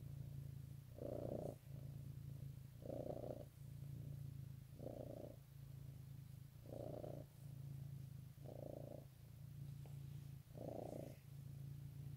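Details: Morning purring from a domestic cat, Easter 2018: an unbroken deep rumble with six rhythmic louder breaths spaced about two seconds apart across twelve seconds.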